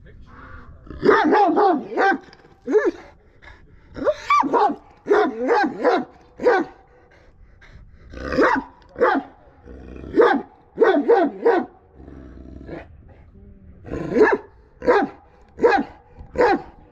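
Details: Kangal dog barking aggressively, loud broad barks in uneven bursts of two to four, with short pauses between volleys throughout.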